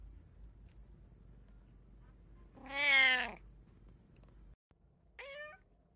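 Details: Indoor house cat, one of three kept together, with one loud, strained meow followed by a shorter, higher meow after a pause in a quiet room.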